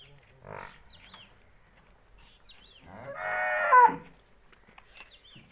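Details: Nili-Ravi buffalo for sale in Punjab, Pakistan, on 9 December 2019, giving one loud, harmonic moo of about a second, with brief human voices before and after.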